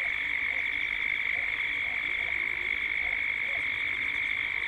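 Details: Cicadas calling at dusk in Gippsland, Australia, captured as a 3D ambience: a dense, unbroken buzzing drone holding one steady pitch with a fainter higher overtone, shimmering continuously throughout.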